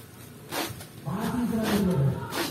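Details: A jumbo Peranakan Ongole cow kept by a farmer in Kebumen gives a low, drawn-out moo of about a second, steady then sagging slightly in pitch, amid farmers talking about feed and scattered handling noises.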